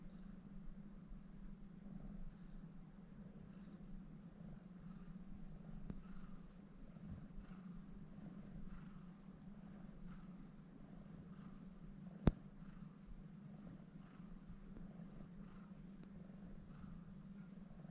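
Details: Female house cat formerly named Agnes, born in Shimane Prefecture and an alumna of Neco Republic Hiroshima, purring indoors while kneading a person's tummy; a steady low hum runs throughout, broken by two sharp clicks.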